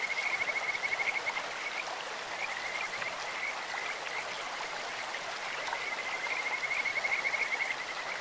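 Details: Two bouts of a Kajika frog's clear, rapid high-pitched trill, one opening and one near the end, with softer calls between, all set against the hiss of a flowing stream.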